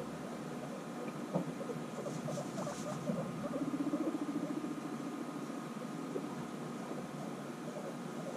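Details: Guinea pigs reunited after six months apart, bonding: quiet scattered chirps and a soft low purring rumble in the middle, faint and steady, without voices.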